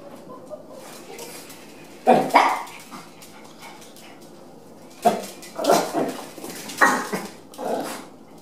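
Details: Chihuahua at dog daycare during a trial day, interacting with other dogs; a few isolated sharp barks stand out against a quiet room, spaced two to three seconds apart.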